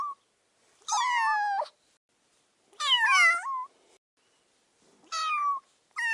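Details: Kitten meowing: four clear, drawn-out meows, each about half a second long with a slight rise or bend, separated by quiet pauses of one to two seconds.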